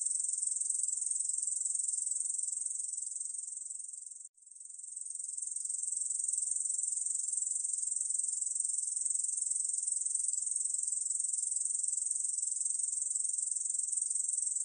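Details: Korean bush cricket song from the National Institute of Biological Resources, 2020: a continuous, high, dry buzzing trill that breaks off for a moment around four seconds in, then resumes steadily.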